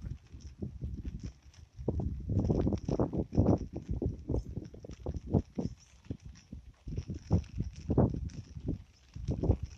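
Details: Frogs in the Amboli hills forest, Sindhudurg, at night with no music added: continuous low, rattling croaks in quick overlapping pulses, swelling and easing in waves, with a faint high insect hum behind.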